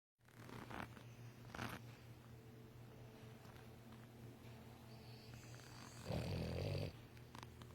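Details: A male Boston Terrier snores with low, rumbling breaths as he drifts off to sleep.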